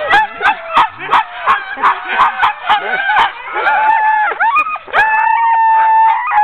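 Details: Sled dogs of a ten-dog team during hook-up for a training run, October 16, 2010: quick repeated barks about three per second, then long wavering howls and whines from several dogs overlapping.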